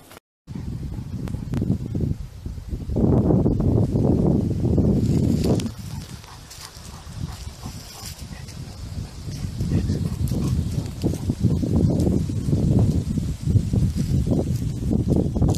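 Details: Several Great Pyrenees bark together at full force by a pool in deep, rapid, overlapping bursts, with people talking nearby.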